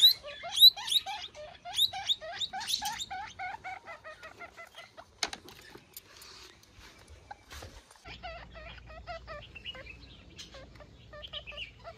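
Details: Guinea pig pup calling its mother with loud, fast runs of short bent squeaks for the first five seconds, then fainter, scattered squeaks over low background rumble.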